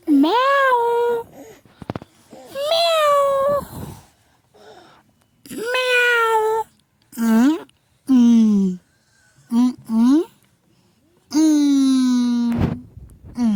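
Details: Cat meowing indoors in a small room, a series of drawn-out rising-then-falling wails, some long and sustained, separated by short pauses, with faint background noises between calls.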